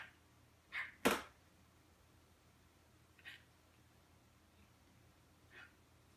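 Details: Morkie dog named Butterball, wanting to play, making funny chirping noises indoors: three brief high chirps spaced roughly two and a half seconds apart, with one sharp loud click near the start in an otherwise quiet small room.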